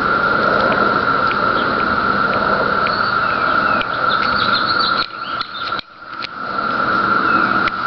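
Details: 17-year periodical cicadas in trees on Cape Cod drone in a steady, high, buzzing chorus that barely wavers.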